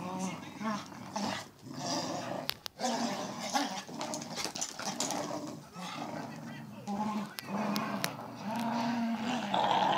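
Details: Two cocker spaniels playing tug of war give low, rumbling growls in bursts, with scuffling and a person talking in the background.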